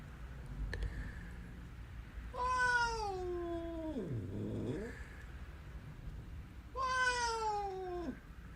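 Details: Hungry house cat meowing indoors while its owner prepares food: two long drawn-out meows a few seconds apart, each sliding downward in pitch, with a lower moaning note between them.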